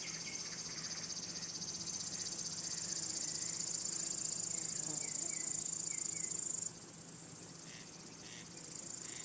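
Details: Male crickets call by rubbing their elytra to attract or court females or scare rival males. A shrill, high, pulsing trill grows louder over several seconds, halts abruptly, then starts up again at the end.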